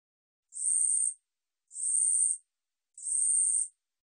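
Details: Korean katydid, 2020 National Institute of Biological Resources recording: three sharp, buzzy, high-pitched chirps of about 0.7 seconds, repeated roughly every 1.2 seconds in a steady rhythm, with nothing else audible.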